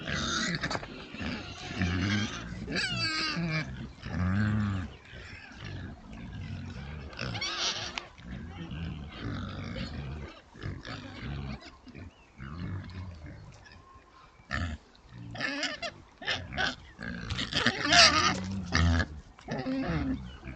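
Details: Oxford Sandy and Black pigs, a rare British breed also called the Plum Pudding Pig, a sounder in woodland caught on a trail camera: dense bursts of low grunting mixed with loud high squeals around 3 and 18 seconds, plus rustling.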